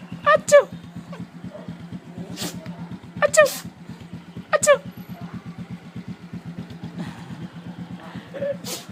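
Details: A neighbour's dog sneezing from excitement at seeing a familiar person: about five sharp, noisy bursts spread over nine seconds, several paired or with short whiny tones, over a steady low pulsing engine rumble.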